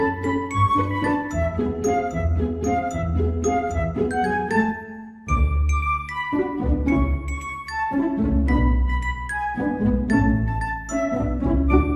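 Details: Gentle tinkling music of bell-like chimes and soft keys plays throughout, with no animal sound heard.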